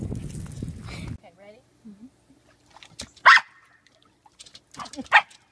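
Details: Mona Lisa, a Pembroke corgi kept as a family pet, gives two sharp, loud barks about two seconds apart. A person speaks briefly at the start, and soft, faint whimpers come in between the barks.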